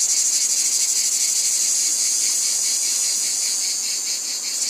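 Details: Harsh high buzzing of cicadas over a wheat field, a continuous pulsed drone with slight swells and dips in loudness.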